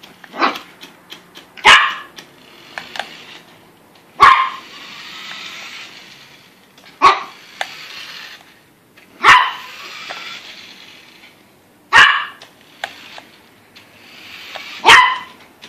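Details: Yorkie upset by a Yoshi RC car, barking at it: loud sharp barks roughly every two to three seconds, separated by the buzzing whine of the toy car's motor.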